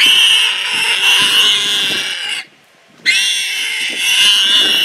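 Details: Wild pig seized by a leopard gives a sustained, piercing scream lasting over two seconds, a brief silence, then another long, strained shriek at the same high, harsh pitch.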